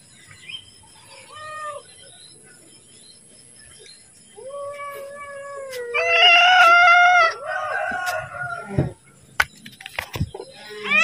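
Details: House cat asking for food as its meal is about to be served: faint brief mews at first, then two drawn-out, wavering meows, the second loudest, followed by clattering and tapping noises.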